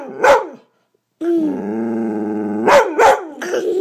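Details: Bella, a pet dog, barking while her owner wrestles with a child, the only time she barks; a sharp bark, then a long whining, harmonic growl-howl, followed by three quick barks, with a woman's voice nearby.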